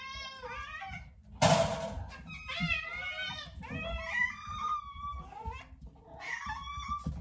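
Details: Several hungry domestic cats meowing indoors while anticipating their meal, a chorus of overlapping drawn-out harmonic meows, some rising and falling, with a sharp clatter early on and room noise beneath.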